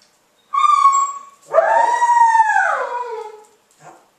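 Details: Zuni, a female Basenji, during "leave it" food refusal training: a steady high whine of about one second, then a longer drawn-out whine that swells, arches and slowly falls over two seconds, ending in a faint short whimper.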